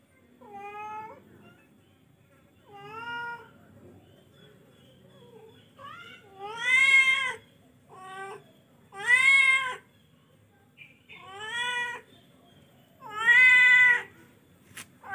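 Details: Repeated meowing from a charcoal F1 cat, about seven calls spaced one to two seconds apart, growing louder and more arched in the second half, with a faint click near the end.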